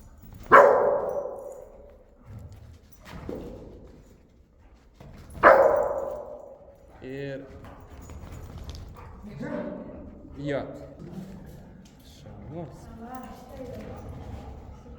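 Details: Older dog setting limits for a young, energetic dog during a training session with a dog communication specialist; two loud sharp barks early on, a softer bark, then human speech and voices through the rest.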